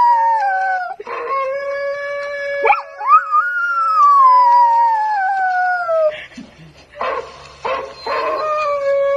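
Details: Young mixed Bangkaew dog taught to howl gives a long, drawn-out howl that bends up then glides steadily downward, followed by shorter broken yips and howls alongside a steady droning tone.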